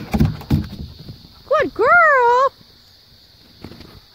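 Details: Siberian husky Maya urging Jo, an Australian cattle dog, down from a play set to play with her. After thumping noises, a short yelp leads into one sustained, undulating, whining howl lasting under a second, then quiet with a constant background hiss.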